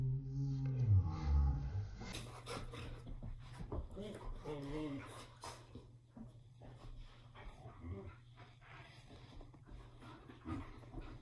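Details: Two Siberian Huskies indoors vocalizing at each other as if in conversation: a wavering, drawn-out howl-like moan opens, then shorter rising and falling vocal notes break in amid clattering, knocking noises and a steady background hum.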